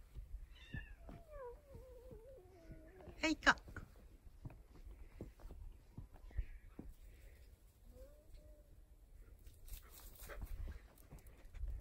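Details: Feral cat met one morning; it hissed at first, then proved affectionate with a sweet voice. One long wavering meow comes near the start and a short softer one follows later, over background pop music with singing.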